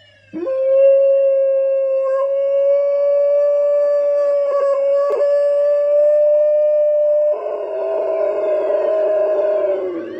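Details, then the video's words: An Alaskan Malamute howls at police sirens, a long, steady, mid-pitched howl holding one note before it turns rougher and wavering. "Alaskan Malamute Howling at Police Sirens"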